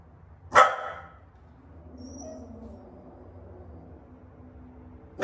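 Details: A female pet dog gives one sudden, sharp, loud bark that startles two rescued Siamese kittens. The bark fades into a few seconds of quiet room noise, and a second bark begins right at the end.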